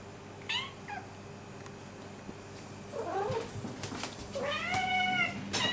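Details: Pet cat and kitten begging for food at 1:30 at night, the adult having meowed around the bed to wake its owner: several harmonic meows, short ones early, then a long wavering drawn-out meow near the end, with soft rustling between.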